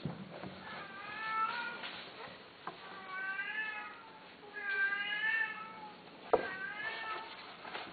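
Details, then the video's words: Himalayan Persian cats, a male and a female, during mating; drawn-out, wavering harmonic yowls rise and fall in three or four long calls separated by short pauses, with a faint click and low room noise between them. "شيرازي همالاي تزاوج قطط انثى ذكر"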